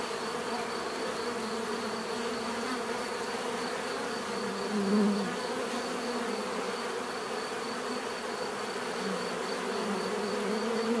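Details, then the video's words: Continuous buzzing of numerous bees, a thick even drone with a slightly louder bee passing by around five seconds and swelling again near the end; no other sounds stand out. "bees therapy relaxing natural buzzing sound"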